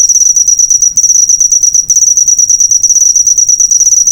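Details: Master recording of a cricket for teaching cage birds, a shrill pulsed trill on a single high pitch running without pause, with two brief dips in loudness near one and two seconds.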